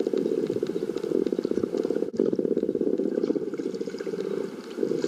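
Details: Common bottlenose dolphins echolocate while hunting, about 100 m off the beach in north Santa Monica Bay, late afternoon at high tide in July: rapid trains of dry clicks blurring into a steady crackling buzz.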